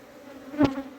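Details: Honey bees humming at a hive being cleaned in summer: a continuous low buzz, interrupted midway by a loud brief thump from handling the hive box.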